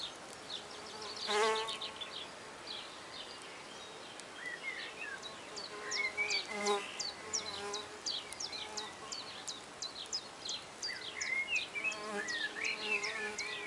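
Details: Red orchard mason bees, six females, starting work at a new recycled-oak drilled nest block in a back garden. Low droning buzzes swell in short bursts at three points, over constant chirping birdsong.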